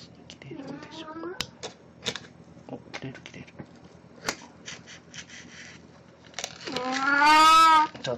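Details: Cat named Puran in a Snow White outfit, 1 April 2017, after a birthday-party debut; a short meow amid chatter and tapping, then a long, loud, harmonic meow near the end.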